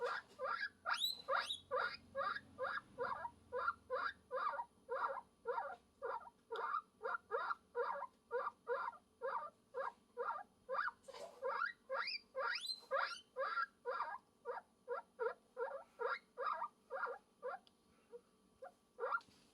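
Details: Guinea pig making a love call, a long unbroken train of rapid squealing wheeks, about two a second, with a few higher, drawn-out rising whistles mixed in and a soft low rumble at the start.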